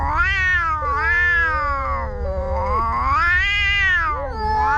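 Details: Fighting between two cats, heard as continuous overlapping yowls, one voice wavering high and another lower, both rising and falling without pause, over a faint low hum.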